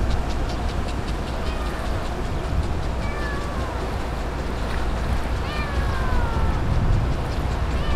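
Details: Stray kittens in a colony of ear-tipped community cats, fed on newspaper by a man; a few short, thin meows curving downward appear midway, the last one longest, over a constant low rumbling drone.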